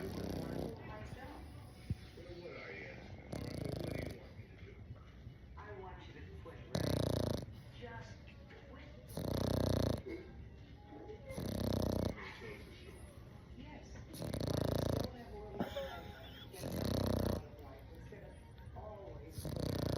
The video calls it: English Bulldog Puppy Snores 🐶